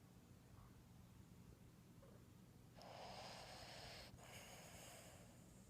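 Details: A sleeping female Boston Terrier snores with soft, breathy snorts and a longer rasping breath.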